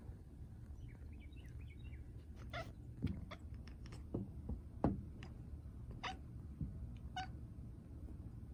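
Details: House cat reacting to the sight of a bird with an odd noise: quick clicking, chattering bursts in the second half, after soft high twittering at the start, over steady low background hum.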